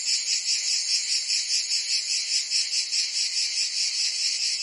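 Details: Provence cicadas in summer: an intense high-pitched shrill whir, steadily pulsing about two and a half times a second, continuous throughout with no other noise.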